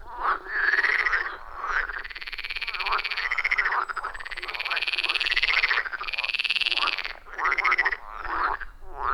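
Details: Loud rhythmic frog chorus at a wild forest pond, recorded with an iPhone 14 Pro and Shure MV88+; overlapping harsh croaks and rising twangy notes sound in long swelling bursts with short pauses, many frogs calling at once.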